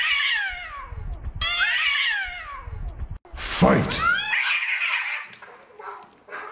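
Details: Fighting cats trade harsh, descending yowls in quick bursts, then a loud explosive screech with a hissing edge erupts midway before fading into rougher, broken cries.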